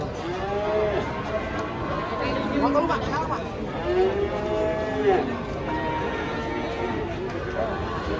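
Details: Cattle in Indonesia give short, curved moos, several rising and then falling, spaced about a second apart, against a background of people talking.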